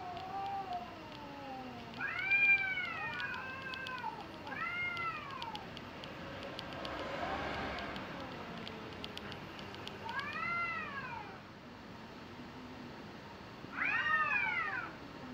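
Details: Cats in a fight in Japan trade repeated arching, wavering yowls, each rising then falling, in bursts roughly every two to four seconds, with quieter low growling between and a steady hiss in the background.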